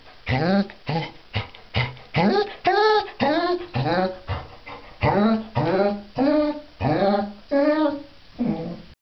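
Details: A female Basset Hound, enjoying her bath, voices uneven bursts of short, mournful whining moans that rise and fall in pitch, about every half second to a second, with a little voice-like sound mixed in.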